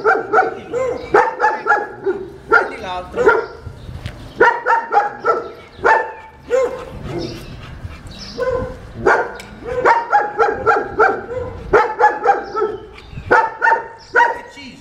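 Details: Unruly German Shepherd in its second training lesson barks almost continuously, sharp yappy barks in rapid runs of several, with short gaps between volleys and a few whining yelps mixed in.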